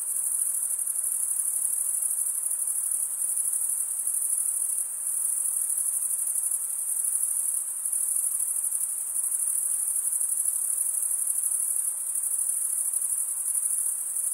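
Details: Crickets chirping at night in a summer forest: a dense, very high, continuous trill with a gentle throbbing pulse, steady throughout and with no other sounds.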